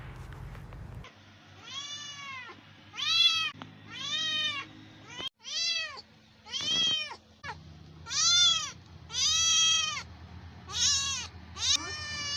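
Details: Hungry stray cats begging for food with a quick series of loud, clear meows, roughly nine drawn-out arching cries close together, some overlapping, with faint low background rumble.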